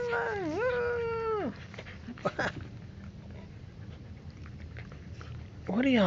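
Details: Dog indoors during puppy play: a drawn-out tonal whine that dips then rises, a short pause with soft rustling, then another rising whine starts, while a woman talks nearby.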